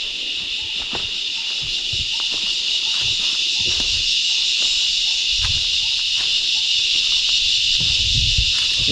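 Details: Small rahaiya cicada heard from the trees on the Lakegala climb, Meemure, Sri Lanka: a continuous shrill hiss that swells slightly louder, with faint regular chirps, footsteps and occasional talking below.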